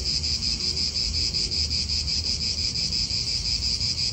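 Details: In an Italian park, cicadas keep up a dense high buzz that throbs in quick regular pulses, nearly three per second, with only light low rumble from wind.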